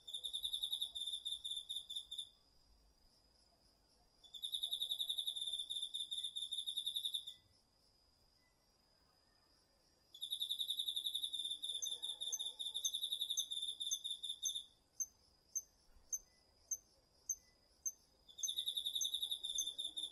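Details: Night chorus of autumn insects including crickets in a garden vegetable patch in Japan, recorded with a DR-40X; long bursts of fast, high pulsed trilling alternate with pauses, while a second caller gives short separate chirps.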